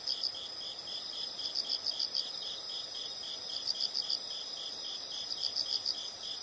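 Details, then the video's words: Insect chorus recorded for relaxation, soft high chirps in repeated rapid bursts over a steady high drone, with light background hiss throughout. "the sound of insects"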